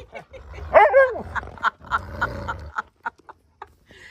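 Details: An Alaskan Malamute growls low, then breaks into an arching, whining woo of complaint while a massage therapist works on his limp. He tends to limp after lying on cold or hard ground, and his growls aren't meant seriously: he turns around smiling.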